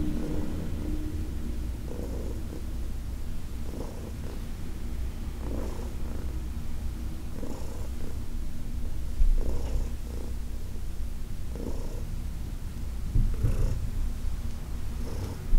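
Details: Heidi, a senior cat adopted from the Humane Society of New York City, purring during a massage on August 4, 2021: a steady deep rumbling purr with soft breathy pulses recurring roughly every one to two seconds.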